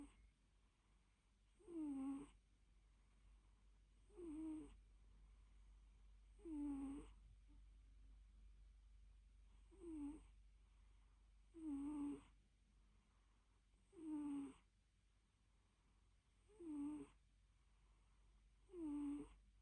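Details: Cute loud nap of a little fluffy cat: a steady run of eight snoring breaths, about two and a half seconds apart, each a short squeaky falling note with breathy noise, over soft background hum.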